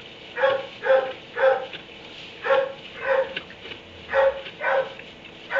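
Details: At 3 am in a barn, a dog shut in its kennel barks repeatedly, about nine evenly spaced, resonant woofs in under six seconds, with faint hum between them.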